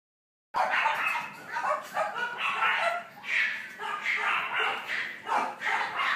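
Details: Boston Terrier puppies born on 3 May, yapping in a dense, overlapping stream of high, short yips with hardly a pause, loud and continuous from start to finish after a brief silent opening.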